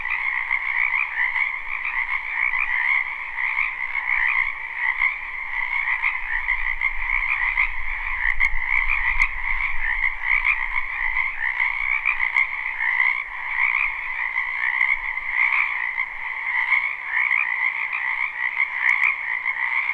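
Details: A spring wetland full of croaking frogs, captured live without looping; a steady, dense trilling chorus runs throughout while a low rumble swells briefly in the middle and faint clicks appear.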